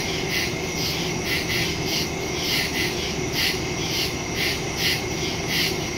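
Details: Crickets calling through the night in the woods, September 2, 2023, phone recording with stereo microphone; bright pulsing chirps in rhythmic bursts near twice per second, many insects overlapping, faint low hum beneath.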